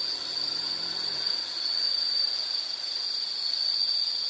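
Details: Insect trilling steadily in a nature soundscape, a continuous high-pitched buzzy drone held at one pitch throughout, with faint hiss and no other clear sounds.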